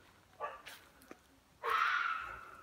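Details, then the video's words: Red fox screaming while hunting in northern Michigan, a call meant to scare prey into revealing itself: faint clicks and a soft noise, then one loud, long, hoarse scream that fades away. "Fox scream.." Fox hunting"..Eerie call of the wild."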